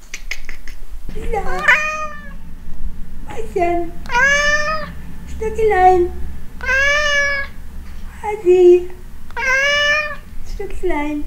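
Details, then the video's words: A pet cat meowing back while her owner talks to her affectionately indoors; asked if she is hungry, she prefers petting. About six clear harmonic meows, some rising then falling, spaced one to two seconds apart, with a steady low hum beneath. "Katze Frida redet mit mir! Cat Frida talks to me!"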